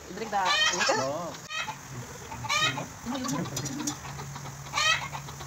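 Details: Newborn goat kid being bottle-fed in Bahrain, bleating in quavering, wavering calls about a second long, three bouts separated by pauses, over a low background hum.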